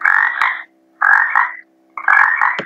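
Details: Frog croaking, played for children in a lesson: three harsh, rasping bursts, each about half a second long, spaced roughly a second apart, over a faint steady hum.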